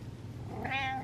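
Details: Domestic cat meowing for attention indoors: a short harmonic meow starting around 0.6 s, rising slightly then holding steady for about half a second, over a low steady background hum.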